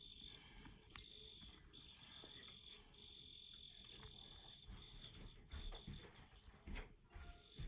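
A field cricket chirps in a steady, high, ringing trill over a low rumble of background noise.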